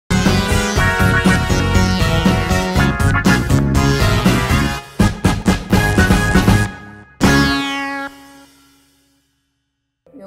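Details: Bouncy synthesizer and keyboard music with quick repeated notes cuts off abruptly near the end, leaving a fading tone and silence, with no animal sounds.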